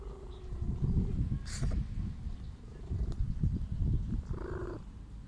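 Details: Sick stray female cat purring while seeking affection: a low, rough, continuous rumble with pulsing texture, a short sneeze-like burst near the middle and a brief higher tonal sound near the end.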